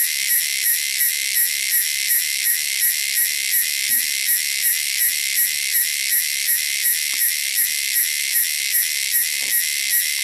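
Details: Loud, shrill cicadas from the wilderness give an unbroken high-pitched whirring drone with a regular throb close to three beats per second and a few soft ticks in the background.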